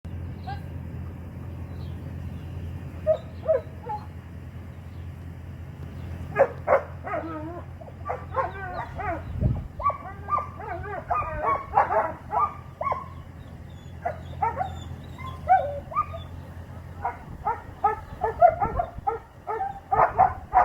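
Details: Young Doberman dog, handled by a 14-year-old girl during heelwork; short bursts of barking and yelps come in irregular clusters, sparse at first, then dense and rapid through the second half, over a steady low hum.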